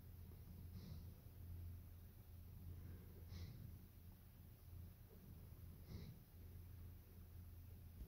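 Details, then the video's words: German Shepherd Evo napping: a deep, continuous snoring rumble with a short lull mid-way, broken by soft snorty breaths about every two and a half seconds. "Nap Time - Evo the German Shepherd"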